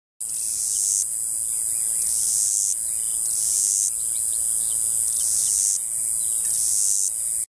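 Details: A small male cicada, about 1.5 in long, sings at eye level at Bentsen-Rio Grande State Park in southern Texas: a loud, continuous high-pitched buzz with regular pulsing swells.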